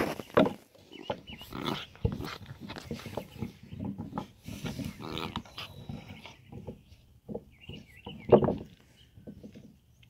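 A Basset Hound gives deep, rough barks in uneven bursts, with faint high squeaky tones between.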